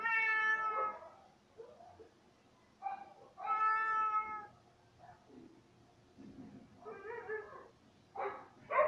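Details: Indoors, Cay the cat meows repeatedly: two long, clear, level meows, then shorter, rougher, wavering cries and a final sharp meow.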